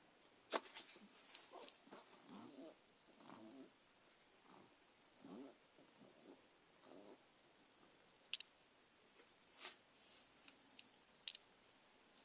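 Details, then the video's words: Margot, a Persian cat, attacking pen and paper indoors while making odd noises: a run of breathy, snuffling snorts and sniffles in short bursts, with sharp clicks and taps from the play scattered throughout. "Margot snorts & sniffles."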